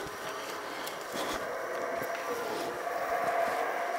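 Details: A continuous broad hiss and rumble, much like a vehicle or train heard from nearby, fills the recording. No animal voice stands out above the noise.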